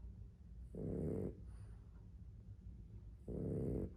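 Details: Boston Terrier asleep, two harsh snorting snores about two and a half seconds apart, each about half a second long, over steady low breathing noise.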